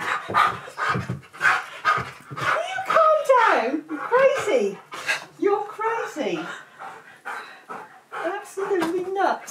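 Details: Pet Siberian Husky Key, worked up and acting silly around lunchtime, gives a run of wavering, rising and falling howling vocalisations and yips between human remarks, in an indoor room.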